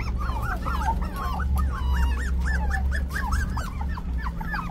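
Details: Whining continuously, five-week-old Hailey the puppy produces a chain of looping, rising-then-falling whimpers about two per second, over a constant low hum.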